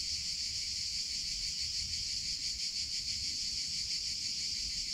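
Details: Cicadas in summer: a dense, continuous high-pitched buzzing chorus that holds steady at one bright pitch, with a faint pulsing shimmer throughout and a soft low rumble beneath.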